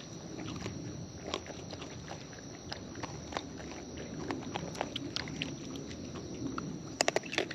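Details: Close-up chewing from wild raccoons feeding: steady, irregular crackling and smacking clicks spread across the whole stretch, a cluster of sharp loud snaps near the end, low background rumble and hiss.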